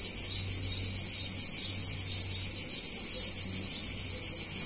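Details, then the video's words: Cicadas on a hot summer day in a picturesque Italian town: a loud, dense, continuous high buzzing hiss with a gentle pulsing throb, steady and unbroken, with faint low hum beneath. "Cicadas In Warm Summer Day In Italian Town"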